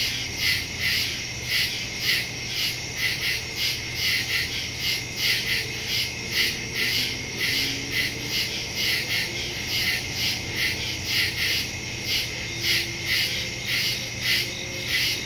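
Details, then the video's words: Night chorus of crickets in the woods, recorded September 2, 2023 on a Samsung Galaxy S22 Ultra using a Shure MV88+; shrill pulsed trills rise and fall in regular waves, layered callers overlapping continuously. "Crickets in the woods at night"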